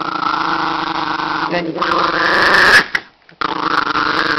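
An angry Chihuahua growls steadily, the tone rising into a strained snarl before a brief pause.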